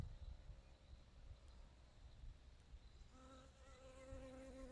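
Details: Bee gathering nectar and pollen, its hum rising clearly out of low background rumble during the last couple of seconds as a steady, even drone.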